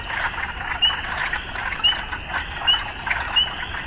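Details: Urban frogs calling in a dense chorus, a steady rasping hum with short bright upswept notes repeating about every 0.8 seconds above it.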